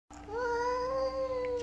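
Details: A jealous female house cat gives one long, loud, drawn-out meow that swells slightly and holds steady, over a constant low electrical hum.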